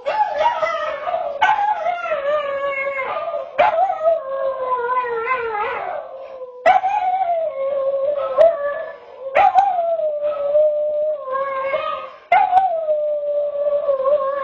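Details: Howling pet dog named Zoe recorded by a security camera: a series of sustained, mournful tones, each starting with a sharp upward onset, then holding steady or sagging slightly, repeated about every two to three seconds.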